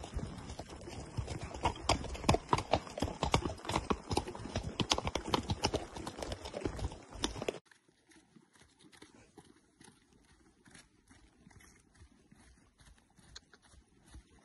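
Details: Gidran and Holsteiner horses on a short ride: dense, uneven clip-clop of hooves for about seven seconds, then much softer scattered footfalls with faint background noise.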